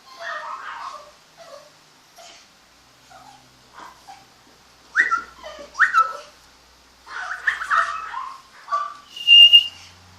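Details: Home-raised mini pocket apple-head Chihuahua puppies in Monterrey, Nuevo León, Mexico, giving short, high, whiny squeals and whimpers in uneven bursts, some rising, with a louder cluster of overlapping cries in the second half and quiet pauses between.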